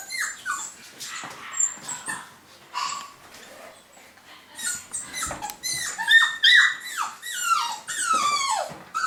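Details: Golden Cavapoo puppies, a new UK litter in 2015, start with sparse squeaks, then build to a run of loud, wavering whines that slide downward, tumbling rapidly one after another in a small room.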